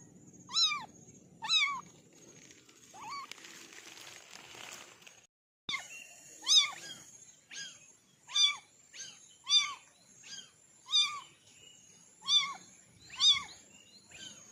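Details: Orange kittens mewing in a steady series of short, high, arched meows about once a second, broken midway by a burst of rustling noise and a brief gap before the calls resume.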